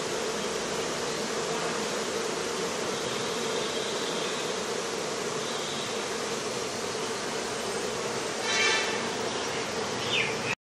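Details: Honey bees, after rain at a bee farm in Pakistan, fill the air with a steady, dense buzzing hum.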